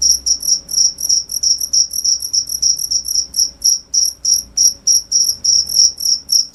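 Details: High, shrill cricket chirps repeat roughly three to four times a second, each pulse short with a fainter overtone higher up, against a faint low-pitched hum.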